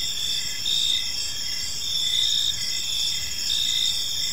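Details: Crickets in an evening park sing a bright, high steady trill, with chirps pulsing in slow swells under a faint continuous background hiss.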